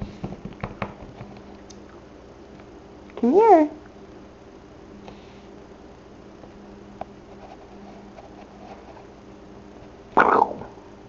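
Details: Samson, a newly adopted male kitten on his first day home, gives a single short arching meow indoors, with a second brief cry near the end, amid quiet room noise and light handling sounds.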